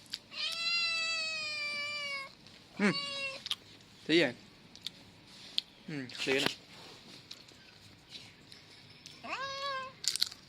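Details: Male kitten meowing: a long, steady, two-second meow opening, then a few short, abrupt mews and a final brief meow near the end, with knocks and rustles between them.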